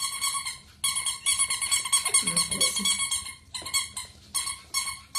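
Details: Pomeranian called Boo giving a run of high, thin, squeaky whines in short repeated bursts, each a tight nasal tone rich in overtones. A brief stretch of low human speech breaks in near the middle.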